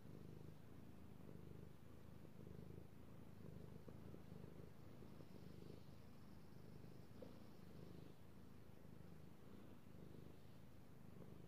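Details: House cat, a male, purring as he is stroked, recorded 16 March 2018; continuous deep vibrating purr with rhythmic rise and fall, plus a brief faint higher hiss midway.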